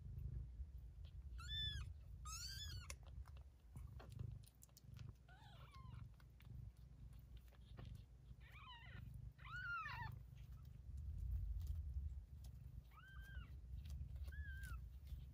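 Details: Two-week-old Bengal kittens from a 2020 litter of Zlata and Texasstar Marko, mewing: about seven thin, high, arched cries, some doubled, scattered across the stretch over a steady low rumble with soft clicks.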